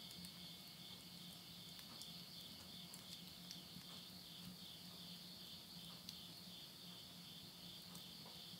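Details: Countryside insects at midnight near Yurihama, Tottori, Japan, at the end of summer 2020: a dense, unbroken high-pitched buzzing trill dominates, with soft ticks from a wood stove fire and a low steady hum.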